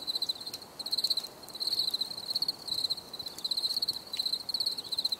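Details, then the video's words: Nature sounds of crickets for unwinding: piercing high trills in short bursts roughly every 0.8 seconds, rising and falling in loudness, over a quiet hissing background. "Les grillons || Bruit de Grillons Pour la Relaxation Anti Stress"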